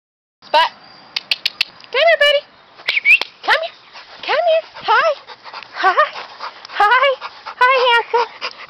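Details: Pit bull and Pointer mix dog whining and yelping excitedly: a quick run of high, rising-then-falling whimpers with rich overtones, repeated about once a second across the clip, with short sharp clicks near the start.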